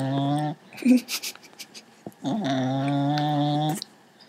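A sleeping Cocker Spaniel snores in long, droning, buzzy breaths with soft rustles between them.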